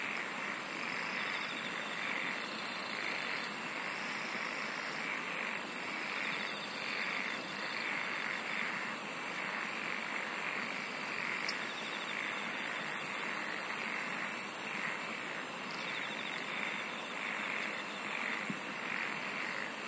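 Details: A thick wall of insect song: unbroken shrill buzzing overlaid with intermittent stretches of very high, rapid pulsing trills and a steady mid-pitched rasping pulse through all twenty seconds.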